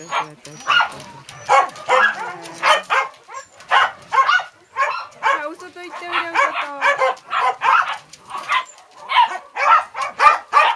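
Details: Several dogs barking in a steady, excited stream of short sharp barks, many overlapping, with brief whines in between and no pause for long.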